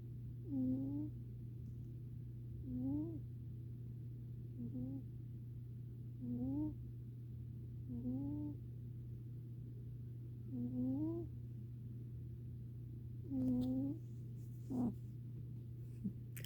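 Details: Domestic cat snoring in deep sleep, giving soft rising squeaks at roughly two-second intervals over a constant low electrical-sounding hum, with a brief click near the end.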